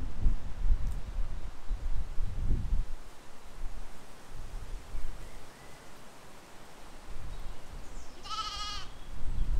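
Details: Among sheep and lambs grazing in a field in spring 2020, one short quavering baa comes near the end after several seconds of gusty, rumbling wind.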